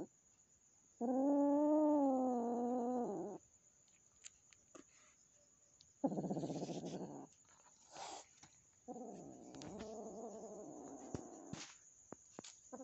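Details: Newly adopted kitten meeting the household cat indoors; one sustained, wavering yowl, then rough noisy growling bursts and a lower, broken grumbling wail, with small clicks and knocks in the background.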